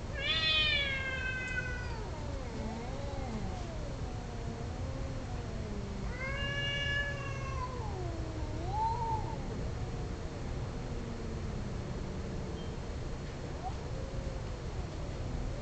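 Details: Mating domestic cats exchanging drawn-out yowls: a loud wail at the start, another rising-and-falling howl midway, with lower moaning tones sliding up and down between them over a constant low hum.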